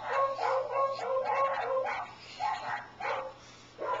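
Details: Pet dog tilting its head and barking oddly in response to weird sounds; a quick run of short, yelping, harmonic barks, then three more spaced apart, over a steady low electrical hum.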